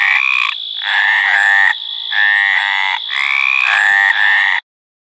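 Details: Hyla meridionalis mating call: a few long, rasping, nasal croaks in quick succession, some sliding upward, ending abruptly in silence; a steady high whine runs beneath the frog.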